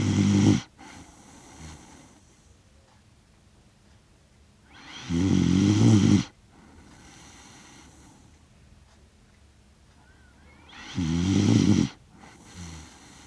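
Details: Asleep in Rotterdam, the Netherlands, on 30 September 2025, Kaki-Maru the Shiba Inu, six years one month old, snores in a steady rhythm, three low buzzy rattling snores roughly every five to six seconds with quiet breaths between, recorded by DJI Mic Mini.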